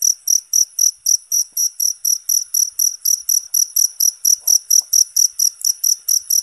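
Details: Cricket calling loudly and constantly, offered as a training sound for songbirds; bright, shrill pulses repeat evenly about four times each second, with a brief faint lower sound midway.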